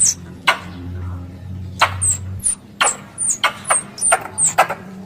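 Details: Lure call for squirrel hunting: scattered sharp, high-pitched chirps with snappy clicking starts, spaced irregularly, roughly eight notes, with a low droning hum beneath the first half.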